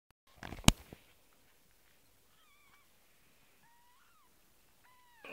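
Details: Kittens give three short, thin, high mews, each briefly rising and falling, spaced about a second apart after a sharp knock at the start; otherwise quiet.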